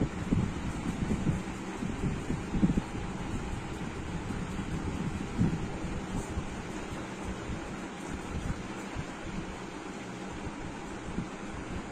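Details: Continuous gusty wind buffeting the microphone, a low rumbling roar throughout, with no animal voices.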